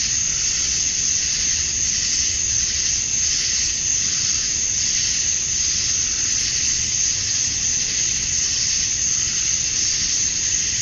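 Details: At dusk on a summer night in Georgia, USA, male cicadas call for mates in a relentless high-pitched buzzing hiss. The drone swells and eases slightly every couple of seconds but never stops.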